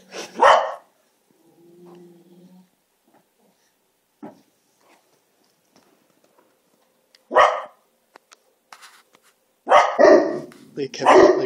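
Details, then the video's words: Domestic dogs arguing with each other: sharp loud barks near the start, then a quiet gap with faint whines, and a burst of several harsh overlapping barks in the final seconds. "Dogs yelling at each other"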